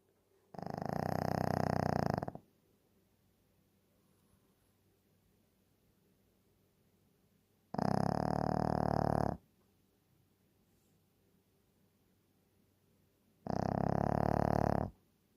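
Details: Shih Tzu dog snoring in deep sleep: three long, rough, droning snores, each under two seconds, spaced about six seconds apart with quiet breathing between, indoors.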